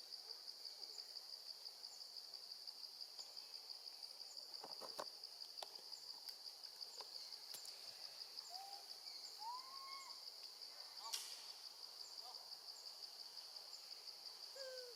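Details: Baby female monkey crying out for her absent mother while staying with her gentle grandma: a few thin, arched wails late in the clip, preceded by sharp clicking knocks, over a continuous shrill background drone.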